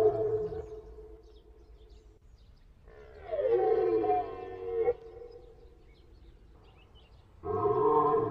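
Drawn-out, nasal moans from a moose, each lasting one to two seconds with a wavering, slightly falling pitch. The calls come in separate bursts with quiet gaps between them.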